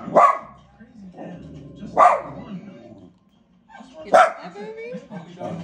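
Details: A dog barking at the TV: three sharp, loud barks about two seconds apart, with a TV soundtrack of speech and background sound continuing between them.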